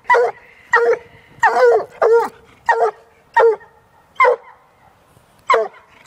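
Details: Walker hound aged one year baying at a caged raccoon. She gives short, hoarse bawls, sometimes in quick pairs, separated by pauses of up to a second, against a quiet background.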